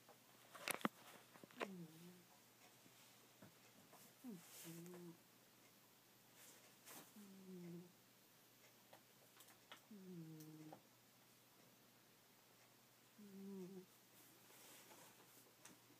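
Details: Goldie, a pet cat, snoring while asleep indoors: short, low, whistly snores that slide downward, repeating every two to three seconds, with a few sharp clicks and rustles between breaths.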